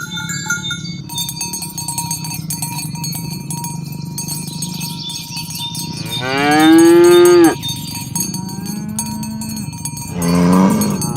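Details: Morning herding of tame cows across a green grass field toward the pen, the animals calling friends to gather. Cowbells jingle constantly, a loud sweeping moo rises and falls, and a shorter lower moo follows near the end.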